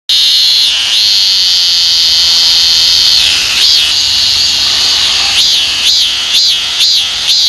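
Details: Robust cicada singing in Korea, one of the country's most common cicadas: a loud, steady, shrill buzz that holds for several seconds, then breaks into rhythmic rising-and-falling pulses, repeated about twice a second.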